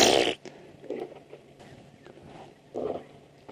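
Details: A hippopotamus, possibly lying in mud, calls during a 27 June sunset safari drive near young elephant bulls. It gives a loud, blaring burst followed by softer, pulsing grunts.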